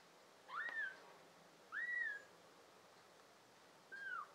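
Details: Little tabby kittens from a litter of five, June 2022: three thin, high-pitched mews, each a quick rise and gentle fall, with short pauses between them.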